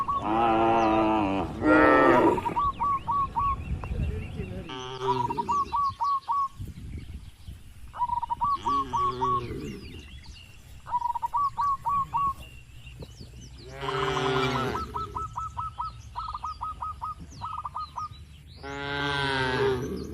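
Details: Tame cattle herded through a wide, green oil palm plantation give deep harmonic moos, some short and some drawn out, spread across the clip. Between them come rapid repeated ticking trills from birds, and a faint low background rumble.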